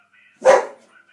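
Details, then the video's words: Pet Boxer dog giving a single short, loud, rough bark on command, answering a person's request to speak; one sharp burst lasting about a third of a second, with a person saying "sit down" right after. "the boxer dog who speaks"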